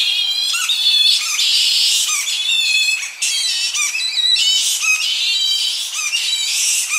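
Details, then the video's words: Young Tonga flying foxes squabbling in an evening colony, recorded close up: dense shrill, harmonic squeals and chatter, overlapping almost continuously, with slight wind in the tree. "Tonga Flying Fox / Evening. Colony. CU Shrill Calls From Young Bats Squabbling. Slight Wind In Tree"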